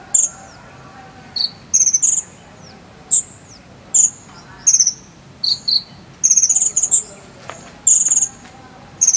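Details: High ringing cricket chirps of the jangkrik sambung cililin sort, kept as konin training filler, some with downward-sliding tails, delivered in irregular clusters that crowd together toward the end, over soft background noise.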